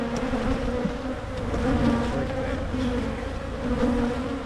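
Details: Short stretch of honey bee hum from Michigan hives being split to prevent swarming; an even, droning buzz with a wavering mid tone and a few light knocks.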